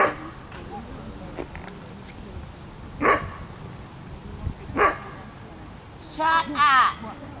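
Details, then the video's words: Ava, an Afghan Hound at an outdoor picnic, gives two short, sharp barks about two seconds apart, followed by a higher, wavering yelp-like vocalization near the end, with people talking in the background. "Ava afghan picnic"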